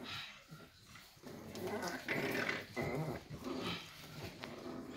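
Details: Litter of Staffie puppies, just six weeks old, at Staffordland on 11/12/2023, grumbling in short rough growls during play, bursts coming irregularly about every half second amid rustling.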